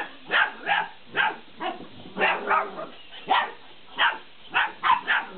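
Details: Malinois puppies aged 50 days playing around a laughing cat toy, yapping in about a dozen short, high barks, some doubled, at a steady, excited pace.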